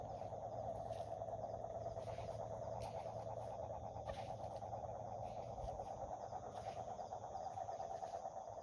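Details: Toads croaking in a dense, unbroken chorus: a low, rapidly pulsing trill that holds steady for the whole stretch, over a faint constant hum and a few soft scattered clicks.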